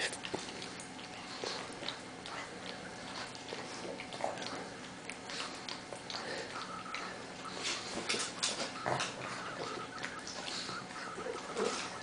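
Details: Two dogs, Lucy and Crystal, a Pug and a Bernese Mountain Dog, wrestling in play indoors: a long run of scuffling snorts, rough breathy grunts and short growly bursts, coming irregularly, with faint background noise.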